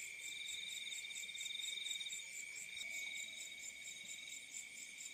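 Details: Crickets calling in fields at night: a dense, steady high-pitched trilling chorus with several overlapping continuous bands, a faint pulsing buzz throughout, no other clear sounds.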